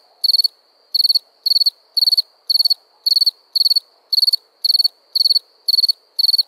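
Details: A cricket at night giving clear, loud chirps, each a quick burst of four or five high pulses, repeated about twice a second with near silence between.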